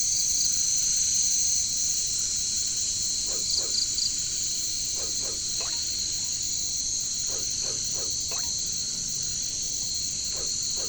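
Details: Jungle katydid chorus (caricangkas, bush crickets): a continuous high-pitched ringing hiss holds throughout. Brief pulsed trills flicker near the top, and scattered low clicking pops arrive in groups of two to four.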